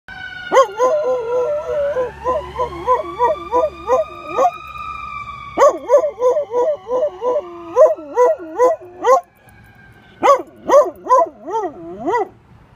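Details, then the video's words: A rescue dog howling along with emergency vehicle sirens: wavering, pulsing howls in bursts of about two per second, broken by short pauses, over long rising and steady siren wails. "howls at Emergency Vehicles"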